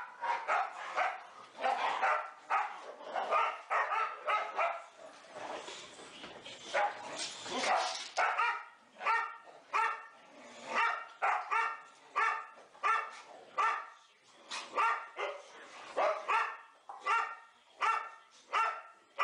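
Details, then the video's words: Boxer dogs Elsie, Gertrude, Bowling and Cierra at play in an indoor play room, four animals together; hoarse growly barks come in quick rhythmic bursts, jumbled and overlapping at first, then more evenly spaced. "4 boxer dogs playing"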